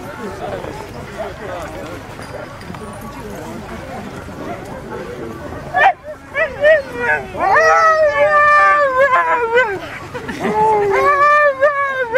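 A Siberian husky howls in wavering, sliding tones after a stretch of people chatting in the background.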